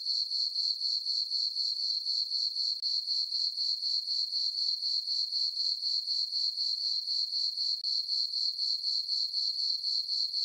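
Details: Under a full moon on a farm meadow, crickets keep up a shrill, even trill on a summer night, throbbing at a steady four pulses a second with nothing else heard.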